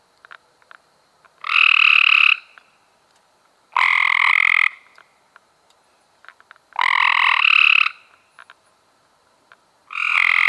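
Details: Cope's gray treefrog recorded in May 2016 giving a steady series of four rough, rapid trills, each just under a second, repeated roughly every two to three seconds against a quiet background.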